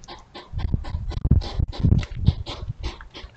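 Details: European hedgehogs courting at night beside a house on a trail camera: irregular, breathy puffs and snorts in a quick uneven run, some louder huffs mixed with softer ones.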